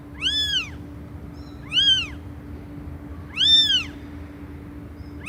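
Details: Cats meowing loudly: three strong arched meows roughly one and a half seconds apart and the start of a fourth, each bright and nasal, over a low steady hum.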